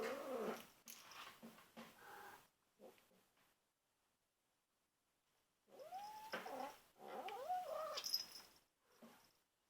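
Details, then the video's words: Ferocious young female kitten, 2.5 months old, defending her toy as other household cats gather close; rough, rapid growling and hissing pulses, a pause, then a swelling wailing moan with harsh noise. "Cute, Ferocious Kitten Makes Weird Noises to Protect Her Toy"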